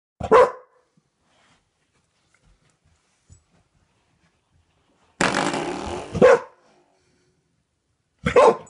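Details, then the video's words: Dog indoors barking at a doorstop that a man keeps flicking; a sharp bark at the start, a longer rough burst of barking midway, then another short bark at the end, with quiet pauses between. "dog barks at doorstop"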